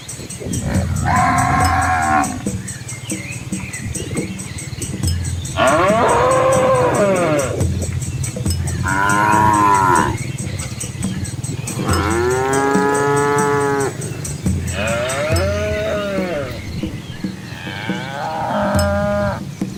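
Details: Asian farm cows walking with calves along a scenic village lane between green fields, calling with around seven moos of varied length, some brief and nasal, others full, arching bellows, against steady low rumble and a thin high whine.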